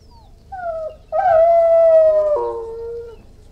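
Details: Irish Wolfhound howling: a short tonal cry, a brief pause, then a long sustained mournful howl that drops sharply in pitch partway through before fading, with rich harmonics and a quiet background.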